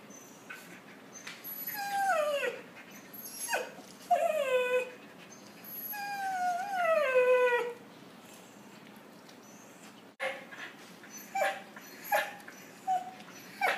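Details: Puppies interacting: long, wavering, howl-like whines that fall in pitch and overlap, followed by a run of short clipped yips, over a steady background hiss.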